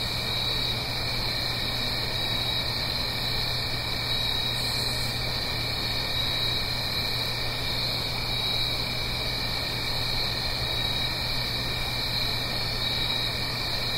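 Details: Autumn night cricket chorus in the Blue Ridge Mountains above a gentle stream. Continuous shrill ringing in two steady high bands, with a brief sharp high rasp near five seconds, all over a broad rushing background hiss.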